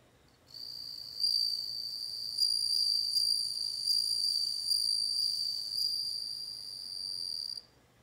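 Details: Sustained bell-like ringing of a bell cricket, one pure high note with overtones, pulsing in gentle surges roughly every second for about seven seconds before ending suddenly; background otherwise quiet apart from a low hum.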